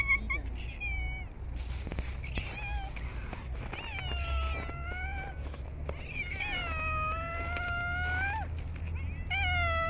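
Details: Street cats being fed outdoors in cold, snowy winter weather give a series of long, drawn-out, wavering meows, the second and third held for about two seconds each, with a short meow at the end over low outdoor rumble.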